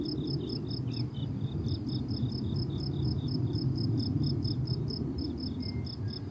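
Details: Crickets on a blooming summer meadow, a steady train of short, high, pulsed chirps with a brief pause near the start, over a low rumbling background of wind-like noise.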